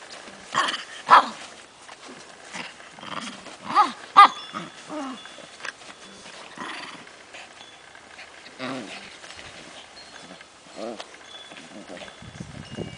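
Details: Ten-week-old Tibetan Spaniel puppies at play with adult dogs: scattered short yelps and squeaky barks come in irregular bursts, some with rising-falling arched tones, between softer rustling and quiet gaps.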